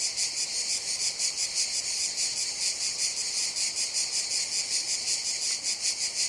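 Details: Cicadas drone in summer in a dense, high-pitched buzzing chorus that pulses steadily without a break.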